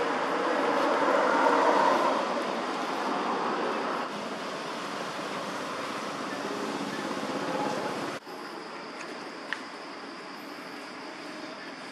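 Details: Broad hiss of passing traffic and engine noise fades to a quieter background after eight seconds, with no animal voice.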